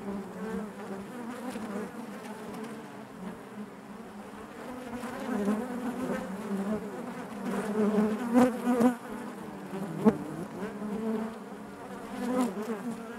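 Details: Inside a beehive, honey bees produce an even low drone with stacked overtones, rising in intensity midway with a few sharp close fly-by buzzes.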